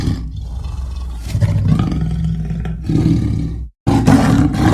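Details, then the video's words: A leopard produces a continuous low, throaty rumble that swells near the end, broken by a brief silent gap before a final rough burst. "The sound of the leopard is like a large displacement engine"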